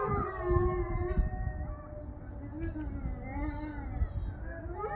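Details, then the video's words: Evening wolf pack howl at day's end: long, smooth, sustained tones hold steady and glide slowly, several voices overlapping, over a rumbling low background. "Wolf pack howl"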